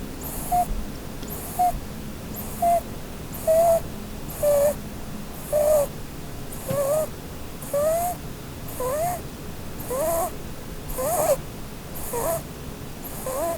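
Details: A sleeping Holland Lop doe named Blueberry snores beneath the Christmas tree while she dreams. Thin whistled squeaks paired with airy breaths come about once a second, later bending upward and wavering.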